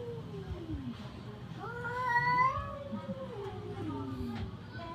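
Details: Fighting cats trade long, low, wavering yowls that slide up and down over a steady background hum, with one brief louder rising cry midway.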